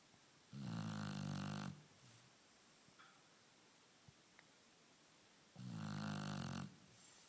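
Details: Lilac Shar Pei snoring while asleep: two heavy, grating snores about five seconds apart, each about a second long, with near silence between.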